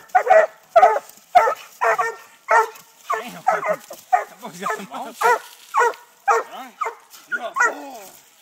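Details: Treeing Walker Coonhound pups, six months old, bark at a live-trapped raccoon treed during coon hunting training in Texas. Ringing, harmonic barks repeat roughly twice per second, some with bending, drawn-out tails.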